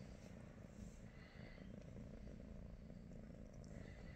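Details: British Shorthair cat purring on a morning spent with its owners, one of the household cats Pikachu, Teddy and Rosie; steady low rumbling purr, continuous and even throughout, with faint soft rustles above.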